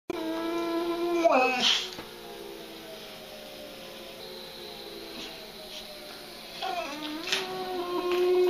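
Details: Mr. Darcy, a pet dog indoors, howls because a siren is going outside: a drawn-out harmonic howl slides up into a sharp cry, then quiet room hiss, then a second long wavering howl that rises and holds near the end.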